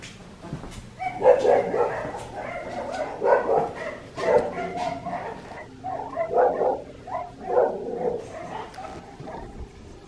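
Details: Red merle male Australian Shepherd puppy indoors, giving a run of high, short yipping barks in bursts about once a second, each cluster rising and falling, with quiet pauses between.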